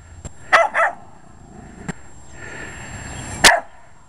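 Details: Barking Jack Russell Terrier, a short-legged dog hostile to a lawn mower, two rapid barks early, then a steady mechanical hiss and one more loud bark with clicking sounds.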